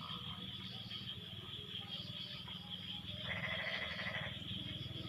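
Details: Frog chorus after rain has ended, callers answering each other: faint rattling croaks early, then a loud burst of pulsed, nasal calls near the end, under a constant shrill insect hum and low rumble.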